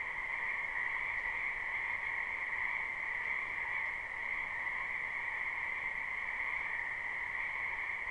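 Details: Dense spring chorus of frogs from a wetland behind a house, live: constant overlapping trilled croaks forming two steady tonal bands at even loudness throughout.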